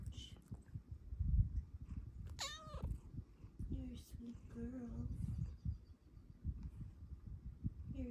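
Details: A female Bengal cat, cuddling with her owner in the morning, gives a bending, drawn-out meow and then soft chirping trills while a woman speaks gently.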